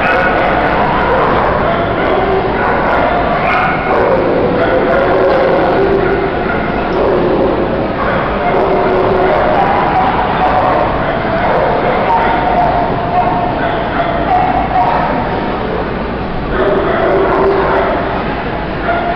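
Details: Terriers at the 5th Chiaramonti International Dog Show, the terrier group; many overlapping barks and yips from several dogs in a noisy, echoing hall, mixed with steady crowd chatter throughout.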